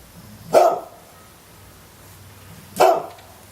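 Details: Two short, sharp barks from a pet dog about two seconds apart, each a single loud burst, with faint low background hum between them.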